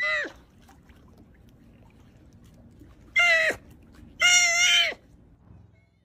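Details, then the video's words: Sea otter cries: one brief squeal followed by two louder, strained, harmonic screams, the last held for nearly a second, with faint background hiss between them. "Sea otter sounds, sea otter crying"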